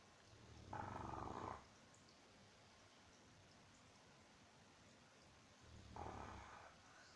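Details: Sleeping Boxer dog snores with two long, buzzy, vibrating inhales roughly five seconds apart, each lasting close to a second, against a quiet indoor background.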